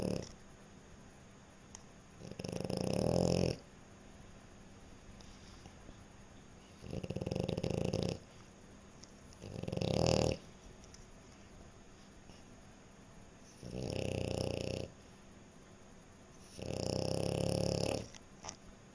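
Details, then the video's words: Sleeping French Bulldog snoring steadily: five harsh, rattling inhalations, each a little over a second long, arrive every three to four seconds, separated by near silence. "Snoring French Bulldog"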